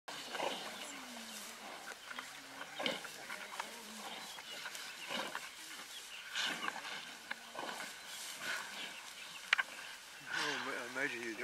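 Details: Pride of lions feeding on a zebra in the Greater Kruger National Park during the 2018 dry season: low, wavering snarls and growls, strongest near the end, over a steady chorus of birds and scattered clicks.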